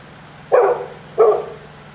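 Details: Great Pyrenees named Lala, a large dog nicknamed 'seal dog', on patrol, giving two deep, short barks about 0.7 seconds apart, with faint background hum.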